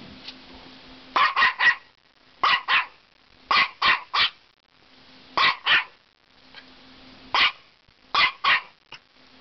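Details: Female Norfolk Terrier under a cottage deck telling off an aggressive caterpillar: sharp high barks in bursts of two or three, repeated every second or so, with a person praising her afterwards.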